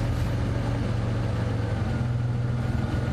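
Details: A steady low vehicle engine rumble idles throughout with no animal voices.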